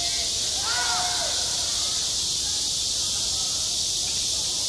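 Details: A summer cicada chorus over a school playground, a constant shrill hiss-like buzz, with brief faint tonal sliding sounds, possibly distant voices, early on.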